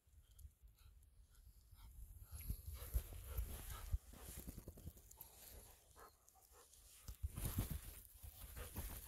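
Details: Golden Retriever named Ibuki panting in rice fields on an overcast winter day, quick breathy huffs coming in uneven bursts, over low rumbling handling noise and faint outdoor rustle.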